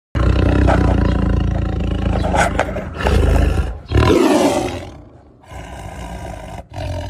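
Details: Tiger roaring: loud, deep, rumbling roars in several long surges with short breaks between them, strongest in the low range, with no other clear sounds.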